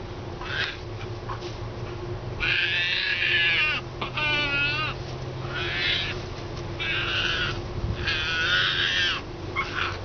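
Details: A frightened, hand-reared striped hyena cub, a young female hiding defensively from a person she distrusts, gives harsh, raspy squalls in bursts with one wavering squeal between them.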